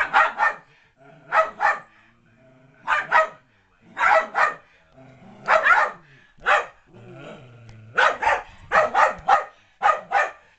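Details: Loki the Keeshond plays chase indoors with Spike, a Maltese-Yorkie-Poodle mix, with sharp barks in pairs and short bursts spread across the stretch and brief quieter gaps between them.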